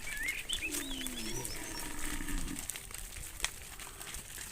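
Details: Cattle herded through a muddy rice field to a livestock pen; a low, drawn-out, slightly falling moo sounds, with bird chirps and rustling around it.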